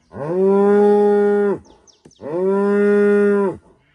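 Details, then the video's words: Two long, level moos, each about one and a half seconds, from a female cow greeting the morning at sunrise in a rural Rwandan village. A brief click falls in the pause between them. "Morning Moo from Rwanda 🇷🇼 | A Cow’s Call to Life at Sunrise Izimazisoni iri kumenyesha ko yaramutse"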